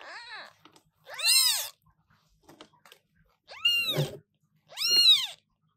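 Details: British Shorthair newborn kitten giving loud, piercing meows, three strong arched cries after a fainter opening one, spaced roughly a second or two apart, with a soft low thump among them.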